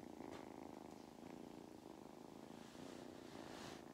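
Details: Mustard the cat purrs contentedly during belly rubs on a County Kilkenny farm in Ireland; a continuous low rumbling motor sound with soft breathy rustles over four seconds.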